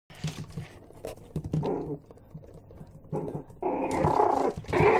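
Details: Six-week-old Yorkshire Terrier puppies give short, scratchy growls and squeaky yelps in quick, uneven bursts.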